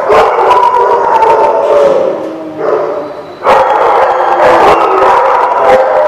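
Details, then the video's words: A crowd of dogs at The Barking Lot, April 28, 2017, keeps up loud continuous barking and yelping, harmonic whines threading through the clamor; a short dip around three seconds, then sudden loud barks restart the racket. "The Barking Lot"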